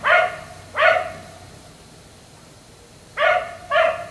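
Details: Black Labrador retriever kept outside late into the night, barking repeatedly: two loud, clipped barks, a quiet gap of about two seconds, then two more in quick succession, over faint background hum.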